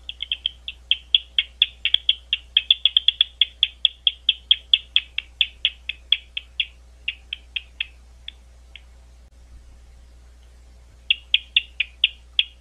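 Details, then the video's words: Rapid runs of snappy clicks from a bat at Gwynne Conservation Area outside London, Ohio, thinning to scattered ticks, a silent gap of about two seconds, then a fresh fast burst; steady low hum throughout. "Bat Calls"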